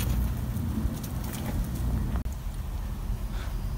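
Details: Broad low rumble like passing traffic, with a few soft knocks and a brief dropout, and no animal voice.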